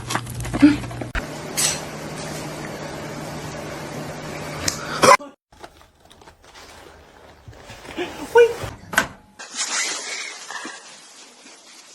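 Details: Indoor room sounds: clattering dishes and cupboard knocks, brief speech, and a door-like thud, followed by quieter rustling and hiss.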